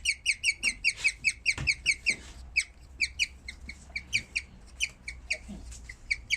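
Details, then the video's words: Bird-like chirping from a skinny guinea pig after giving birth: a fast regular run of high squeaks that turns irregular and spaced out, with some soft knocks and handling noise. "Cobaya haciendo el sonido de un pajaro"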